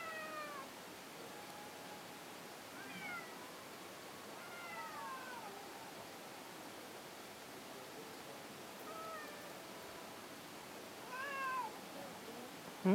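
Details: A stray cat stuck in a dent at a shrine where many cats gather: repeated plaintive meows sliding downward, roughly every two seconds at first, then a pause and two more calls near the end.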